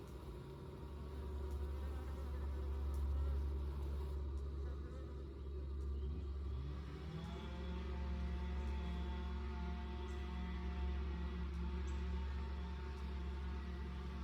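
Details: Honey bees at the entrance of an insulated long Langstroth hive in South East Texas: a dense, steady low hum throughout, with a passing bee's buzz rising in pitch about halfway through and holding a higher drone.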